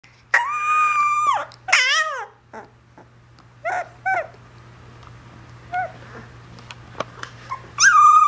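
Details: A female Alaskan Malamute pup howls like crazy in long, wavering notes broken by short yips and whines.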